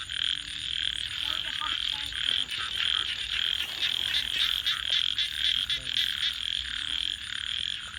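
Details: Frogs call at night alongside a campfire, their high pulsing trills forming a constant chorus, joined by scattered pops and crackles from the fire and some lower, fainter calls.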